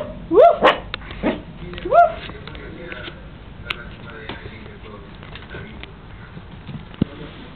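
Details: A five-month-old Chihuahua puppy playing in bed gives three quick, high yaps that rise in pitch. The yaps come early and are followed by quieter rustling, with a person talking softly.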